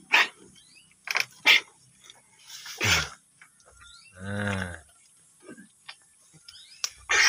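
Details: Village goat eating ramban leaves: one quavering, buzzy bleat lasting under a second midway, surrounded by sharp crunching and snapping clicks of feeding and brief human voice sounds.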